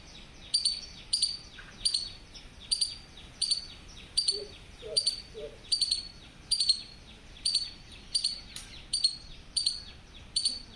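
A squirrel gives sharp, high, bird-like chirps, repeated steadily about every half second.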